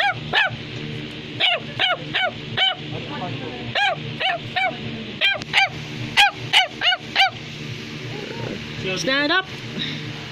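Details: Bichon Frisé toy dog barking at home. A run of high, sharply arched yapping barks repeats roughly every half second to second, about fifteen in all, with soft background music and a brief wavering whine near the end.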